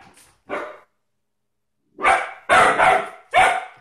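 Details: German Shepherd dog barking repeatedly indoors, a short bark, a pause, then a rapid run of four harsh broadband barks about half a second apart.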